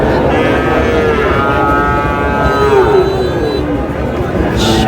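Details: Young bull calves at a cattle market in Comilla, Bangladesh, on 14 May, where a farmer buys the smallest ones; a drawn-out, harmonic moo sliding slightly downward for about three seconds over constant crowd chatter and market noise.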